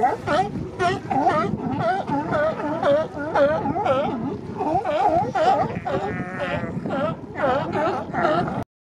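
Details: Male sea lions defending mating territories along the Coast Guard pier in Monterey during spring; dense, rapid, overlapping barks from several animals, nearly continuous, ending abruptly.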